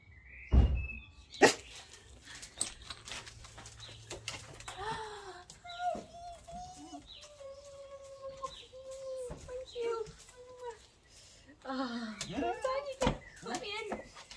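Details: Beans, a female Basset Hound, cries in anticipation as her sister arrives home from university after hearing the car; a long series of drawn-out, wavering whines, with a sharp knock at the start and human voices.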